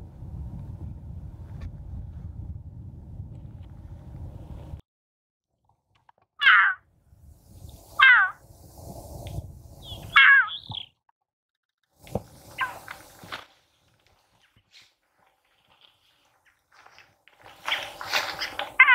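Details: Female puma calling for a male to mate with, near Torres del Paine National Park, Chile, on April 13, 2019. Low rumbling noise stops, then come short, sharp, high chirping calls about two seconds apart, with a denser burst of calls at the end.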